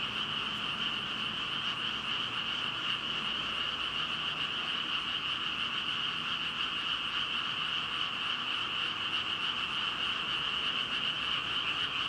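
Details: Dense chorus of thousands of frogs, a continuous ringing wall of overlapping croaks with a bright high band and a fainter lower band, steady throughout with no pauses.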